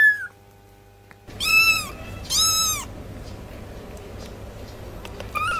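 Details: Kittens meowing: two clear, loud arched meows about a second apart, then a shorter quieter meow near the end, over a low steady hum.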